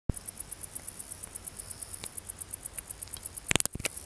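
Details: An unseen wart-biter bush cricket calling nearby sings a steady run of very high, dry ticking pulses, several each second.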